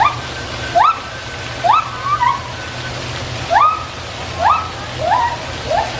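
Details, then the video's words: A gibbon gives about six quick, rising whoops over a few seconds, each sliding sharply upward, over a steady background rush like running water. "A Gibbon whooping"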